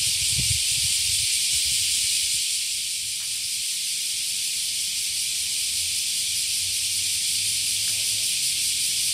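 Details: Small cicadas in Japan in summer fill the morning air with a steady, high, hissing drone that never pauses, a sound that wakes people.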